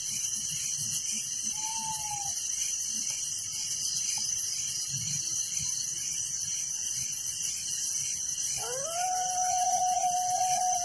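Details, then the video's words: Steady shrill chirping of crickets in a village at night fills the background; a brief whistled note sounds early on, and a dog starts a drawn-out rising howl near the end. "Relaxing Night Crickets Sound in Village"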